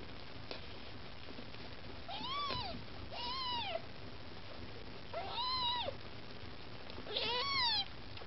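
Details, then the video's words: Maine Coon kittens, with their mother cat Lakshmi close by, cry to be fed: four distinct, evenly spaced, arching meows, each rising and then dropping, roughly every one to two seconds. "Котята мейн-кун: хочешь есть - умей втереться"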